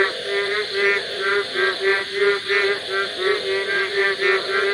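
Frogs give nasal, harmonic croaks about three times a second over a steady high insect hum.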